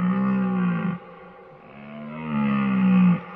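A deer gives two long, low, droning calls with a moaning, harmonic tone.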